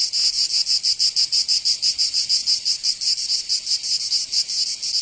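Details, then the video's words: In Provence in southern France, summer cicadas produce a high, grating buzz, here throbbing in slower, somewhat uneven pulses a little over one per second. "Canto Cigarra 🦗 [ Escuchar les cigarras en verano 10 H]"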